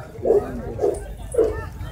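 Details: Labrador Retriever giving three short, deep barks about half a second apart, with background noise and a man speaking Hindi nearby.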